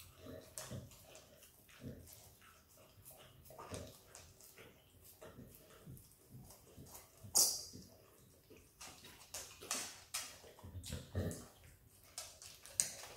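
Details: Australian Kelpie x Border Collie puppy Izzy licking peanut butter: sharp sticky smacks and clicks, some loud isolated snaps, spaced irregularly with brief quieter gaps.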